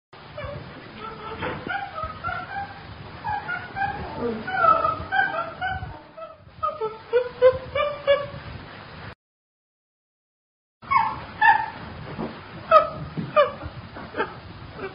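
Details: Chimpanzee chatter: a busy run of short hooting and squealing calls, some sliding up or down, sounding over a rough background, with a brief complete silence partway through.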